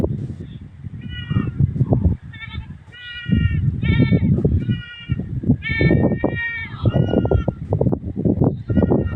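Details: Goat with its kid bleating again and again: about a dozen short, high, trembling calls arriving every second or so, some doubled, above a loud, continuous low rumble.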